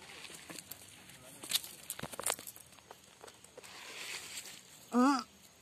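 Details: Orphaned white kid goat named Putih, whose mother died giving birth, now attached to its owner; one short, loud, quavering bleat near the end, after footsteps, rustling and a man's nearby speech.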